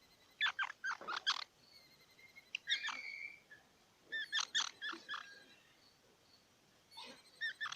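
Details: Squirrel chirps and squeaky notes over a steady hiss of background noise, arriving in several uneven bursts with brief gaps.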